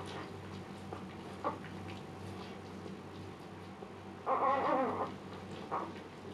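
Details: Luna, a Siberian Husky mother in labor for the second time, calm while giving birth: a single short wavering whine lasting under a second amid quiet indoor background with faint rustling.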